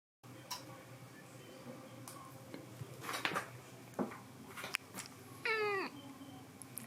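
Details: A cat in an air-conditioned house in summer gives a single drawn-out, harmonic-rich meow that falls in pitch near the end, after a stretch of low room hum and scattered soft knocks.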